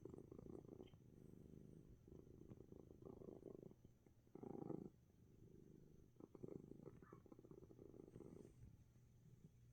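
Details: Coco, a sick cat sneezing yet relaxing, purrs steadily in a low, rumbling, pulsing drone throughout, with a brief louder burst near the middle and soft sympathetic human voices nearby.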